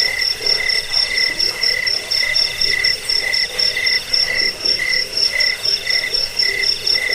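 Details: Cricket chirping, a recording offered to repel rats, for sleep and for training birds: high ringing pulses repeated about twice a second in short bursts, with a continuous buzzy background hum.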